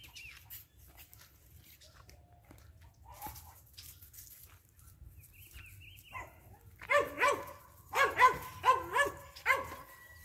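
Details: Max, a Border Collie puppy nearly three months old, born 16 June 2021 and filmed 7 September 2021, gives a quick run of high, harmonic yelping whines about every half second near the end. Faint bird whistles and soft rustling come before.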